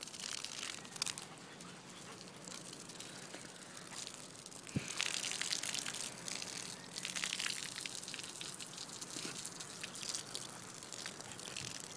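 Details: Steady gushing and splashing water fills the whole stretch, with crinkly, crackling texture and a faint voice, but no animal call can be made out.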